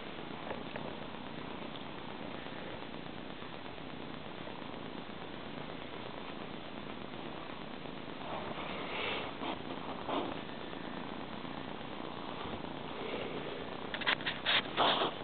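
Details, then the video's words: Kittens Skeeter and Jari purring indoors, a steady low rumbling purr filling the clip, with brief louder scuffs and noises near the end as a Beagle interrupts. "A minute of kitten"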